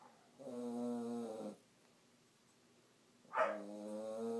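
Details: Sleeping puppy snoring: two drawn-out, harmonic, rasping breaths about a second long each, separated by a quiet pause, the second starting with a sharper snort.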